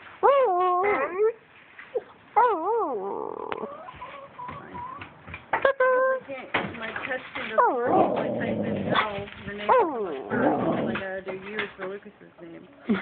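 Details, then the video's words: Female wolfdog 'talking' to a person: wavering, warbling whines rising and falling in pitch, mixed with grumbling growly sounds, while a woman speaks to her in between. "Talking wolf-dog"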